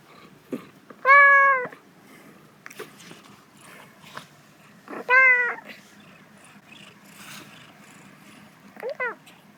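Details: Domestic cat meowing because it feels good while sunbathing, recorded 4 December 2021; three short clear meows spaced several seconds apart, the last higher and rising, with soft rustling and faint clicks between them.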